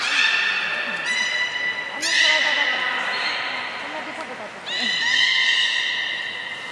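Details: Beluga whale at an aquarium in Nagoya, recorded on 3 February 2019 around feeding and the play time after it: bright, rising whistled and chirping tones with stacked harmonics, in bursts at about 0, 2 and 4.7 seconds, over a steady murmur of background noise.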